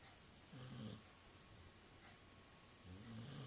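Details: A sleeping dog snores indoors, two low rasping breaths at about half a second and three seconds, each lasting under half a second, with quiet steady room hiss between them.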